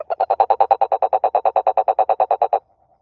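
A toad croaks in a fast, even run of about eight rough pulses a second, held at one mid pitch. The burst lasts a couple of seconds, then stops abruptly.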